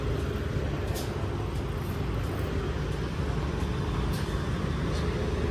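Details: Loud, constant road traffic roars outdoors, with a steady engine drone and no animal sounds.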